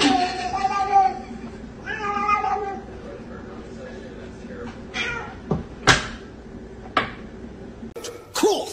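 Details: Domestic cat in a funny pet compilation giving two drawn-out, harmonic meows in the first three seconds, followed by scattered clicks, knocks and thumps from an indoor scene with faint background voices.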